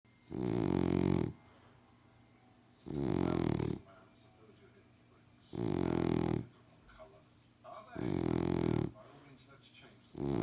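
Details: A French Bulldog, recorded in 2018, snores in loud, rough, rumbling breaths, each lasting under a second and coming every two to three seconds.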